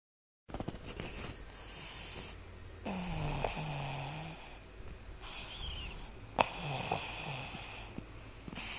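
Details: Seamus, a Boston terrier, asleep and snoring: broad, rasping breaths swell and fade in uneven bursts, with a few sharp snorts and faint lower wheezy tones in between.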